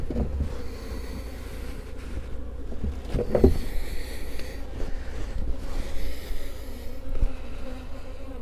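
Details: Western honey bees humming around an open hive as a beekeeper adds an extra box, six days after splitting the colony, with honey starting to fill; a low steady drone with layered tones, interrupted by knocks and clatter from hive handling.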